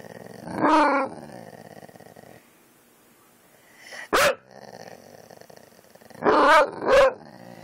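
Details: Kane, a pet dog, reacting to dog videos: a few short, tonal, harmonic yelps and bark-like bursts, one near the start and a tight cluster of three toward the end, separated by quiet stretches with faint background hum.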